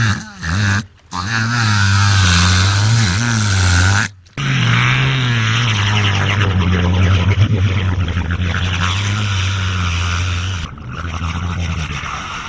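A deep, steady rumble, like an idling motor, comes from an orca mimicking a boat engine. The drone holds for several seconds at a time with slight wobbles in pitch, broken by brief pauses.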